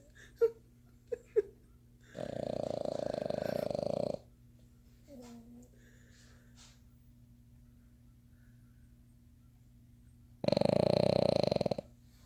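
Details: A Boston Terrier asleep in a person's arms snores in two long, rasping, rumbling breaths with quiet pauses between.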